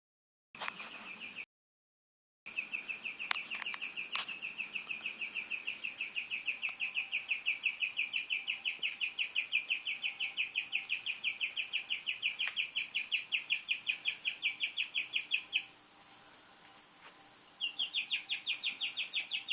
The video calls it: Strange noises from my guinea pig